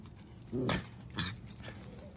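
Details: Pet dogs playing in a garden, a romp they repeat several times a day; two brief, rough, grunting vocal bursts about half a second apart, fairly quiet against low background hiss.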